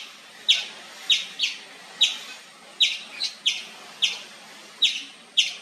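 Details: Loud, persistent chirps from an Indian palm squirrel: short, piercing chip notes repeated roughly every half second, a few coming in quick pairs, with little else audible.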